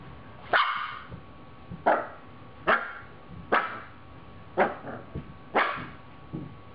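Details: Siberian Husky puppy named Mercedes barking while playing: six or seven sharp, harsh barks roughly one second apart, some followed by a shorter yip, over a faint steady hum indoors.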